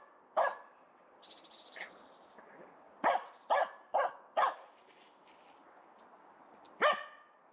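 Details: A Finnish Spitz named Aamu, still wearing her cone after surgery on her right leg, barks at a squirrel up a tree in the forest. Loud, single, clipped barks come in an uneven series, and a softer chattering call sounds early on.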